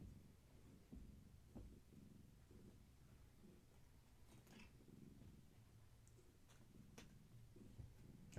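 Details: Gaia's kittens, from a long-haired tabby mother, being massaged and playing in a small room in the evening. A low, pulsing purr rumbles continuously, broken by a few light taps and rustling.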